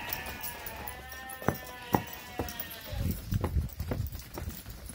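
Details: Boer goat on a farm in northeastern Brazil, 2018: a fading, wavering bleat over low rumbling, then a run of dull thumps and knocks, roughly two per second.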